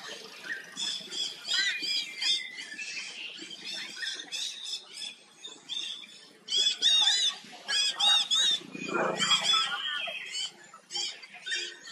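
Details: Hurt baby monkey trying to pull away from a forced companion: shrill, high-pitched screeching bursts in rapid uneven runs, some squeals gliding down, with short pauses between outbursts.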